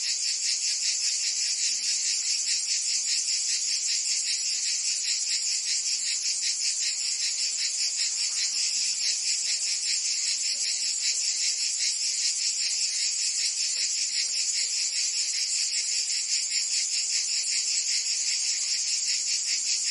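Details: Summer in Provence, France, filled with singing cicadas: shrill, sizzling high-pitched buzz with quick rhythmic pulsing, sustained at an even level without pause, nothing else prominent.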